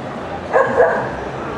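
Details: A Toy Poodle at an FCI international show gives a quick pair of light, high barks in close succession, ringing above constant indoor crowd noise.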